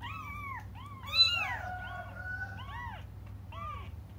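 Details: Several cats crying while waiting for their mother: high, arched mews rising and falling, repeated about every half second and sometimes overlapping, over a steady low hum indoors.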